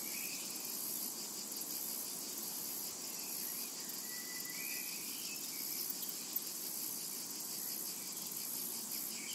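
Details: High, sizzling cicada drone in a summertime meadow, steady and faintly pulsed. One drawn-out bird whistle and a few faint chirps sit below the insect hiss.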